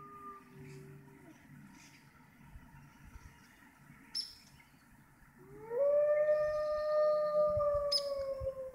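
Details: Wolves at the Toronto Zoo's Canadian Pavilion, Canada, near closing time: a faint fading tone, quiet background, then a loud howl swooping up and holding steady, with faint clicks.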